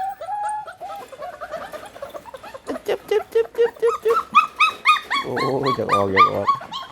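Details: Hungry pit bull puppies whimpering: thin, high-pitched whines repeated about four times a second, each rising and falling, growing busier and overlapping toward the end, with a lower harsh voice joining in the last seconds.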